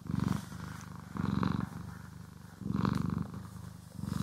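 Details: Pet cat purring during grooming and brushing sessions, stereo recording; deep vibrating purr in rhythmic surges roughly every 1.3 seconds, quieter inhale phases in between, light scratchy brush sounds.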